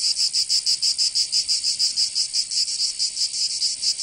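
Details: Summer cicada chorus in Provence, southern France, a harsh shrill buzzing that throbs in quick regular pulses, roughly five per second, filling the recording without pause; nothing else audible.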